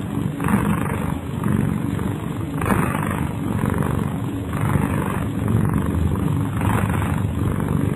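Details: A sleeping pet cat snoring: low, rough rumbling breaths rising and falling in a steady rhythm about once every second, over a constant low hum.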